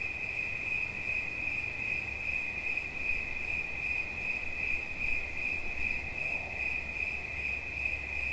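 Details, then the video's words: Continuous high-pitched trilling from a cricket, fast pulses merging into one sustained note, low rumbling noise in the background. "Świerszcz. Dźwięki relaksacyjne"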